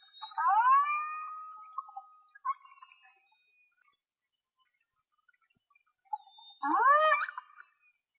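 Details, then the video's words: A single killer whale gives tonal, harmonic whistles that sweep upward and then hold steady, recorded underwater by hydrophone from a small boat in False Bay, South Africa, on 26 January 2021. "Killer Whale (Orcinus orca) - Sea Search Sound Library"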